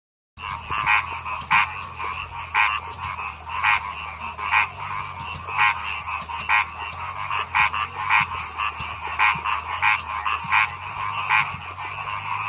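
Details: Paddy frogs singing. Short, bright croaking pulses stand out about once a second over a dense background chorus of softer, rapid croaks, with a steady low hum underneath.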